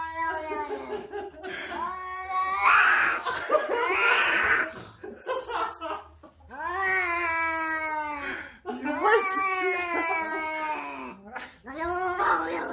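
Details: Repeated caterwauling from a cat sitting in a box, several long wavering howls that dip and rise, mixed with a person's voice and laughter in a small room.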